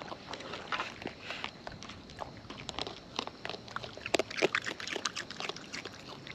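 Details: Close-up eating by wild raccoons, with bursts of moist crunching and smacking clicks, sparser early on and heaviest in a loud cluster after the midpoint.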